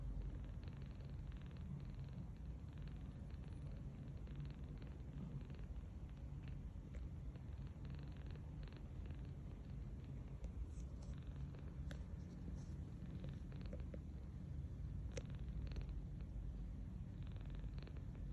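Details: Tange, a rescued 39-day-old kitten, sleeps belly-up on a bed and snores softly. A low, steady rumbling drone runs throughout, with faint rustles now and then.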